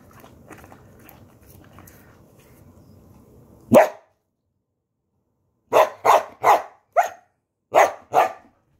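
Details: Samoyed dog grumbling because it wants beer: low indoor noise, then one sharp bark, a pause, and a run of six short, gruff barks in two groups.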